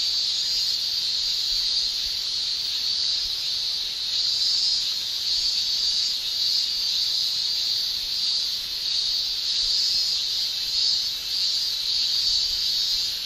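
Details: Summer chorus of male cicadas in Japan, sung with the tymbal organ: a dense, continuous high-pitched shrill that swells and fades slightly every second or so, filling the whole recording.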